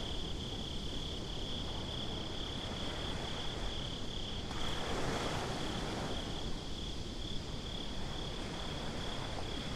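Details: Crickets trill steadily and shrilly in darkness at the beach; the unbroken high tone sits over a low, rushing wash of waves and wind, with one wave swelling midway.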